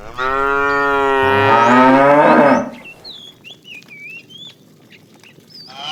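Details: Calf in a herd of cows wandering in the morning looking for food: one long, loud moo of about two and a half seconds that rises then breaks off, followed by chirping birds and another moo starting.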